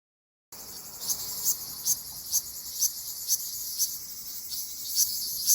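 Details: Ryukyu large brown cicada singing in Okinawa in mid-June: a steady high shrill buzz with brief louder pulses roughly twice a second, after a short silent start.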